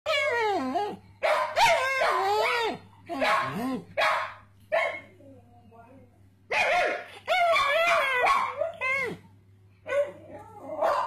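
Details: Male pug barking and yelping indoors, joining in when a person barks at him so the two sound like they are chatting. Short bursts of yelps with sliding, wavering pitch alternate with the person's imitated barks and pauses.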